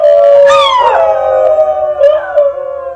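A New Guinea singing dog gives a melodious, wavering howl that slides downward with rich overtones.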